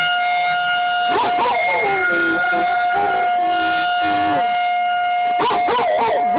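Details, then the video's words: American Bulldog Jasmine howling in response to a tornado siren test; wavering, rising and falling howls come in two bouts over a loud, steady multi-tone siren drone, with brief human exclamations nearby. "Jasmine howls at the tornado siren test"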